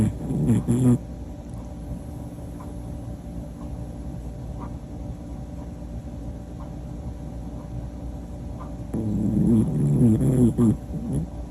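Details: A Pomapoo snores in its sleep. A short, rough low snore opens the recording, and a longer rattling one follows about eight seconds later. Faint breathing and a constant background hum fill the quiet between them.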